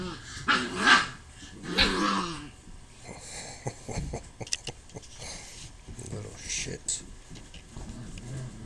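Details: Puppies fighting at play, low growls and snarls with short yelps, broken by bursts of noisy scuffling; people talk loudly over the scrap near the start.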